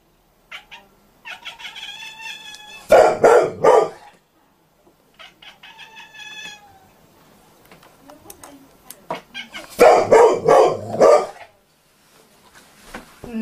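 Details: Pet domestic cat giving its unusual barking calls indoors, with a Bernese mountain dog in the household. Clear, even, meow-like tones come in short runs, broken twice by loud, harsh, rapid bursts around three and ten seconds.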